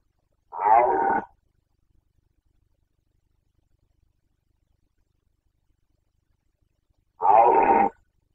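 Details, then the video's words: Carpathian red deer stag in Bucovina, Romania, during the 2021 breeding season, giving two short hoarse harmonic roars about six seconds apart, with silence between them. "Boncănit / Carpathian stag Breeding season 2021"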